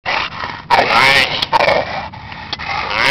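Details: Female Olde English Bulldogge up against a fence, giving loud, harsh, rasping growls in rough bursts with short breaks between them, followed by a person's voice.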